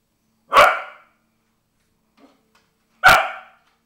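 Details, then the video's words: Cardigan Welsh Corgi reacting to a vacuum cleaner with two loud, sharp single barks about two and a half seconds apart, quiet in between. "Vacuum cleaner response"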